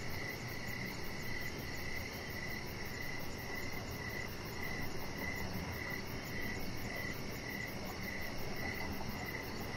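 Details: Outdoor evening cricket chorus by a deck where a chihuahua puppy lies; pulsed chirps recur about every half second against a steady low rumble, with faint rapid high-pitched ticking above.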